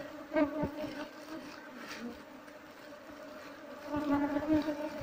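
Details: Buzzing of wild Apis cerana honey bees as their wild hive is harvested, bees said to be mostly fierce toward intruders; continuous low hum with stacked overtones, a louder swell near the end, and soft scattered taps.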